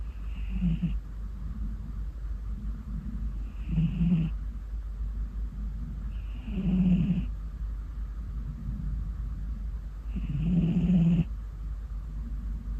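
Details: Mii-chan, a ginger tabby cat, snoring in a deep sleep: soft rumbling breaths with a raspy snore about every three seconds, over a steady low hum.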